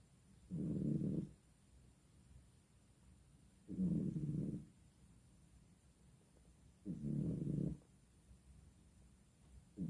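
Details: Sleeping cat snoring steadily, each low, husky rumble lasting under a second and coming roughly every three seconds, three full breaths and the start of a fourth, with a quiet background in between.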